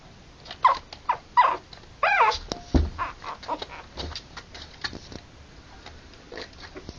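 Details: Harlequin poodle puppies, three weeks old, born October 28 2009: short, high squeaky whimpers with bright harmonics rise and fall in quick separate bursts, followed by softer scattered squeaks and faint clicks.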